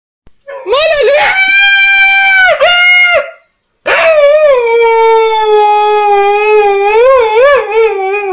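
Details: Husky "talking" indoors: two long, wavering, harmonic-rich howls, the first rising and bending for about three seconds, the second sliding down then wobbling up and down in pitch for over four seconds.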